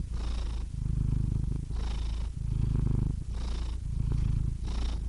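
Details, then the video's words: Cat purr, deep and continuous, pulsing in rhythm with breathing: low rumbling stretches of about a second alternate with brief airy gaps, four breath cycles in all, clean and close. "Cats Purring Soothing Sound Effects (Relaxing Cat Sounds)"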